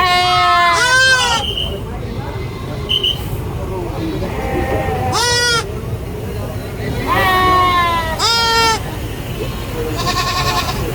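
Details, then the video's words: Baby goats on a farm giving loud, wavering high bleats in bursts, several overlapping calls spread across the recording, with shorter cries between and a steady low background rumble. "GOAT SCREAMING BABY GOAT VIDEO FUNNY GOAT SOUNDS"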